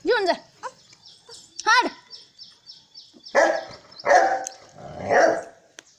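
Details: Saint Bernard Sultan gives a few high, rising-and-falling yelps, then three full, deep barks spaced about a second apart. A thin steady tone and human voices sit in the background.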